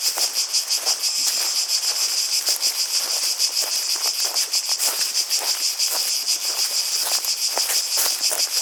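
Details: Many cicadas produce a loud, hissing, high buzz that swells and fades rhythmically several times a second, accompanied by light clicks and rustling noises.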